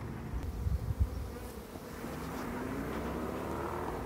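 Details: A calm, friendly western honey bee swarm gives a steady, low, droning hum while being caught from a tree branch into a box, with a few handling thumps early on.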